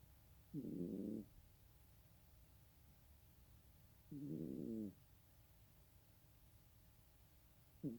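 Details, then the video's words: Snoring cat, producing rough grating low snores roughly every three and a half seconds, each under a second long, with a faint constant hum behind. "고양이 코골이"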